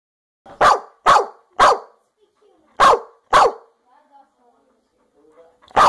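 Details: American Staffordshire Terrier barking: five sharp, loud barks in quick succession at roughly half-second spacing, a short pause, then a single bark at the end; otherwise quiet indoors.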